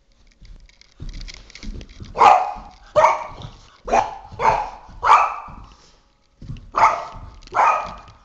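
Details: Oscar, a three-and-a-half-year-old Boston Terrier, barks indoors while attacking a flashlight: a series of sharp broadband barks, about seven in total, coming in quick clusters with a brief pause before the last two.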